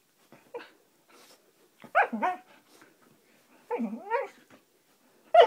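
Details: Playing Siberian Husky voicing short rising-and-falling yowls and a growly bark in bursts about every two seconds, each with rich harmonics, between quiet pauses with soft scuffles, in a small room.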